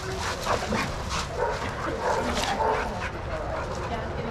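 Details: Shelter dogs at play in an Arizona yard at Pima Animal Care Center, supervised by handlers; a handful of short, punchy barks come roughly every half second to a second, with human voices mixed in.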